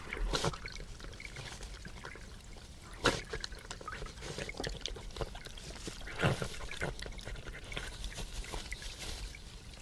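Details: European badgers feeding close by on a wildlife livestream: wet smacking, snuffling and crunching in irregular bursts, with a couple of louder clicks, over a low background hiss.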